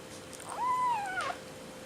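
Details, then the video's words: A hungry 5-week-old Seal Point Himalayan kitten in the middle of weaning lets out a short, clear, arching meow that rises and then falls, heard over quiet indoor room hum. "The Screaming and Very Spoiled Kitten"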